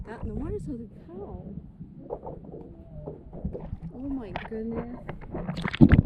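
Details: Humpback whales, a calf and its mother, calling beneath a paddleboard at Wailea, Maui, on 3/2/26; the calf chirps high while the mother moos like a cow. Rising and falling tonal moans and short swooping chirps overlap amid gurgling water.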